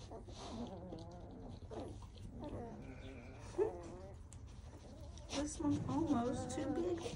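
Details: Great Pyrenees puppies, two and a half weeks old, from a litter of seven, handled indoors while collars go on. Wavering, high whimpers and squeaky whines come repeatedly, loudest near the end, mixed with a person's soft talking.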